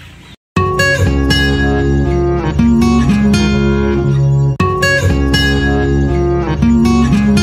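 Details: Acoustic guitar strumming and sliding notes after a brief silent start, with no animal voices present.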